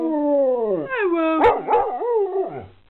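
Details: Talking pet dog answering its owner's "I love you" indoors: a long falling howl, then a run of warbling, up-and-down yowled syllables that mimic speech, fading out at the end.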